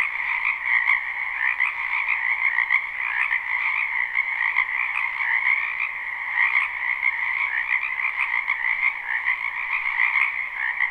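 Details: A dense spring chorus of many frogs croaking in a wetland behind a house at night, a continuous overlapping trilling mass in two bands, one high and one lower, steady throughout with no pauses.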